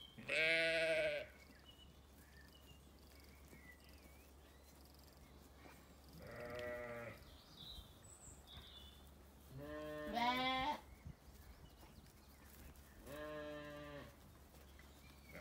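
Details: Ewes and lambs in an orchard on a sunny day at a regenerative farm in County Kilkenny, Ireland; four loud harmonic bleats spaced a few seconds apart, some wavering, with faint birdsong and a low steady hum behind.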